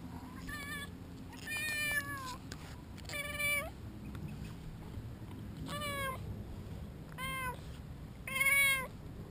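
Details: Shinobi, a two-year-old male British Shorthair known as a very vocal cat, meowing during play: five clear, drawn-out meows that rise then fall, some long and bending downward, spaced one to two seconds apart over low household rumble.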